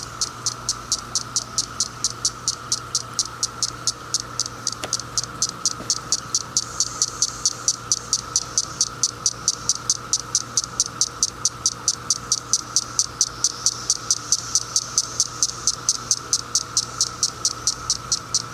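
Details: On 10 June 2021 a single female cicada flicks her wings, making a steady run of sharp, dry clicks to attract males. The roar of singing male cicadas is in the background.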